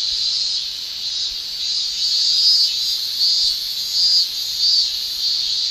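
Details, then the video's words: Japanese cicadas shrilling in summer: a dense, steady high-pitched hiss that swells and fades in broad waves roughly every second or two, with faint brighter whistled streaks inside it and no other clear sounds. "Japan Summer Cicada Shrilling"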